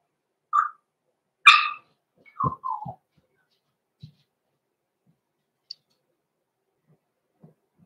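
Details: Roman and Blue, blenheim Cavalier King Charles Spaniel pups aged six weeks, in a home puppy pen: a thin high yip, a stronger squealing yelp, then two quick lower descending whines, before faint ticks and near silence.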